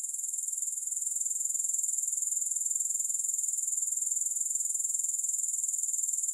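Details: Unbroken, high, metallic grasshopper trill pulsing quickly and evenly throughout, swelling slightly at the start. No music accompanies it.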